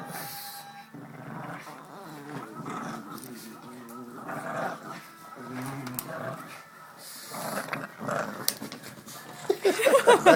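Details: Two pet pugs, black Jax and fawn Sookie, play indoors with a stuffed toy pug received for Christmas. Low rumbling growls rise and fall through the middle, with a human voice talking and laughing and a louder scuffle at the end.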